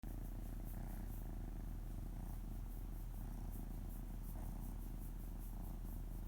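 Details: Pet cat purring steadily while its stomach is gently stroked as it lies on a lap, paws patting; a deep continuous rumble pulsing about two and a half times per second.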